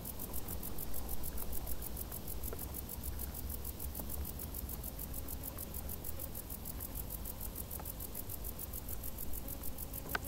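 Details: In tall summer grass, crickets keep up a dense, high trill of quick, regular chirps, nearly three per second, over a steady low hum and faint crackling.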